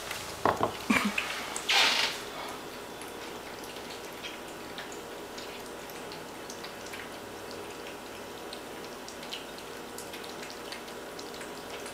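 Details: Kitchen sounds of clinking dishes and dripping water with scattered faint clicks over a quiet background, and no animal call.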